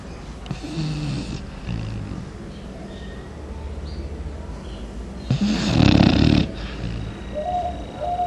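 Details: A Chow Chow, sleeping deeply in the morning, snores in deep, rumbling breaths much like a human, with one loud rasping snore standing out.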